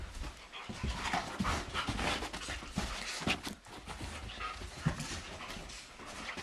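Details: Indoor play fight between Blondi, a German Shepherd, and Sugar Tree, a Doberman, filmed in April with sheep Dasher and Edie watching; continuous heavy breathing and panting mixed with scrabbling paws and body contact noise throughout.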